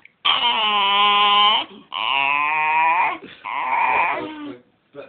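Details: House dog 'talking' for more belly rubs: three long, bright whining cries, the middle one falling then rising, with short gaps between them, indoors in a small room.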